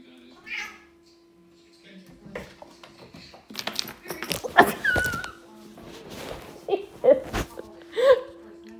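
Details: A Siamese cat with the zoomies gives short, rising and falling meows amid household thumps and a person's voice.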